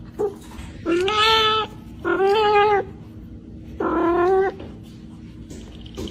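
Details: Domestic cat meowing indoors: three drawn-out, tonal meows, each under a second long, with rich harmonics and a slightly rising then level pitch, separated by short pauses over faint room noise.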